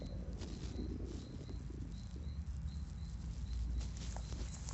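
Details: A horse's gut growls in a continuous low rumble, with a soft bubbly gurgle early on and a few scattered clicks, while faint repeated high ticks run in the background.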